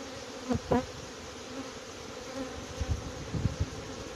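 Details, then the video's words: Honey bees of a small swarm going into a box while the beekeeper looks for the queen, steady humming drone with two sharp close buzzes of a passing bee near the start and a few low thumps later. "catching a swarm of honey bees"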